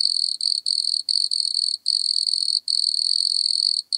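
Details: Wood cricket (Nemobius sylvestris) in Altenberg, Austria, on 9 August 2022: a high, pure churring trill with a weaker upper overtone, running in long bursts broken by brief gaps, on a clean, noise-reduced background.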